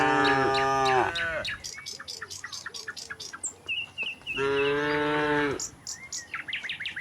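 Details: Tame cattle herd walking calmly from the neighbouring village to the pen in a rural setting: two long harmonic moos, the first at the start and a second around four seconds, with bird chirps and twittering between and after them.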